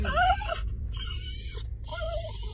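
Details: A Kooikerhondje excited before the dog run: one brief, sharp wavering whine at the start, then a quieter, thin whine later on, with music and a steady low rumble in the background.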